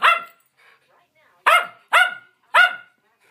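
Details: Adopted schnauzers Raven, Holly and Nelson, from New Jersey Schnauzer Rescue Network, barking while playing together indoors. One sharp, ringing bark opens, then a pause, then three more loud barks about half a second apart.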